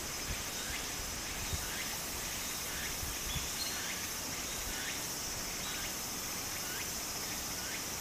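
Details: Japan in summer, cicadas beside a flowing stream: a constant piercing high hum with faint repeated rising buzzes, backed by the broad hiss of running water.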